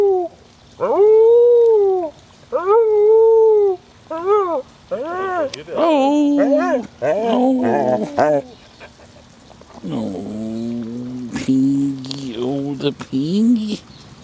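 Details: Howling from Border Collies Molly and Panda: a run of short arched howls repeated roughly every second or two, then lower, overlapping wavering voices in the second half, with some human voice mixed in.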